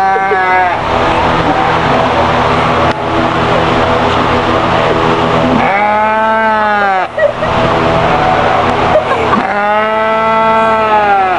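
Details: Sheep at a fair giving two long, wavering, nasal bleats rich in harmonics, the first around six seconds and the second near ten seconds, over a steady background rumble of engine or crowd noise.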